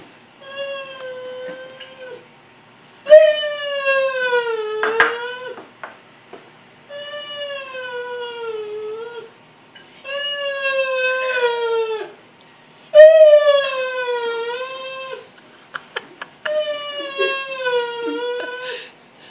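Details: Rhodesian Ridgeback whining over the gate while people eat dinner; drawn-out, tonal whines of two to three seconds each, slightly wavering and falling, separated by short pauses, with a faint lip-flutter.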